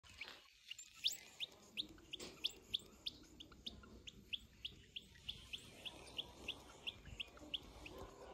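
A baby guinea pig calls for its mother with quick, high chirps repeated about three times a second.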